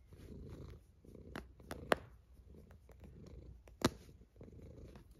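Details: Cat snoring in its sleep, low raspy inhales and exhales in an uneven rhythm, punctuated by two loud sharp clicks.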